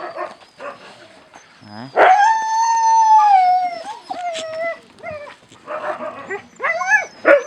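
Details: Husky puppies at feeding time let out a long, clear howl that slides slowly downward before breaking into quick, upturned whines and yips, with a faint human voice briefly behind.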